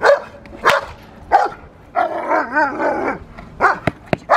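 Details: Protection work with the Rottweiler Magda vd Fehn Kolonie, BH: scattered gruff barks at irregular intervals, a longer wavering growl-like passage in the middle, and sharp clicks or knocks near the end.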